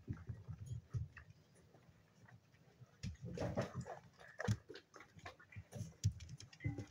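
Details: Seven-week-old spaniel pups at play indoors, giving low, rough grunting growls in scattered bursts amid scuffling and chewing noises, with short sharper sounds near the middle.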